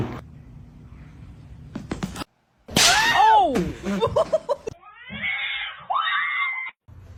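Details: Domestic cat giving a loud, drawn-out, wavering meow that rises then falls, followed by several shorter choppy meows and a thin, higher whining meow near the end; people talk and laugh before and after.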